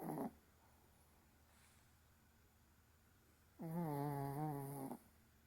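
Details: Maltese dog snoring indoors on 7 May: after a brief rasp, a long voiced snore of wavering, buzzy harmonic tone lasts over a second, with quiet room hiss between breaths.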